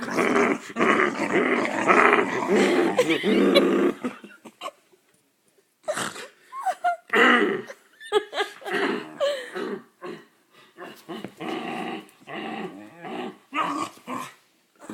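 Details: Part-pit dog roughhousing indoors with a person: a sustained throaty growl for about four seconds, then a string of short irregular growls, yips and whiny grunts in quick bursts with brief silences between.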